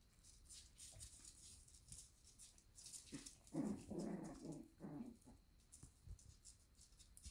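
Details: Shiba Inu puppies in the morning at a breeder in the Netherlands, indoors; soft overlapping whimpers and squeaky murmurs swell midway, with faint high rustling and scratching throughout.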